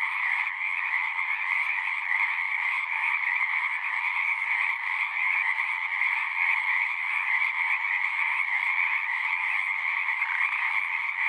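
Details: Frogs singing at a pond in a horse pasture, recorded with a Zoom 6: a dense, continuous chorus of overlapping trills, steady and loud throughout, with no other sounds standing out.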